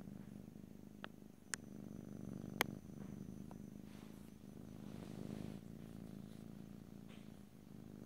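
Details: Cat purring in a close stereo recording with no voices, a continuous low vibrating hum pulsing with its breathing, interrupted by a few sharp clicks early on.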